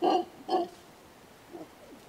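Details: Two deep, hoarse grunts from a mantled howler about half a second apart, followed by faint softer traces of calling.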